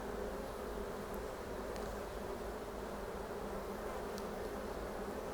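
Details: Western honey bees covering the frame where the queen has just been found during a hive inspection, a dense steady droning hum throughout with occasional faint ticks.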